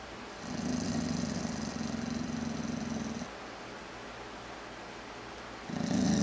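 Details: Boozer, a full-blooded American Boxer, growling during play indoors: two low, rumbling growls, the first lasting about three seconds, the second starting near the end, with a quiet pause between them.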